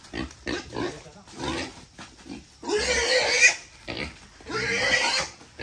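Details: Captive wild boar, kept 11 months and fed erratically, squeals as it is caught and weighed for sale: a short cry, then two long, harsh, screeching squeals about a second each, with brief pauses and faint human voices.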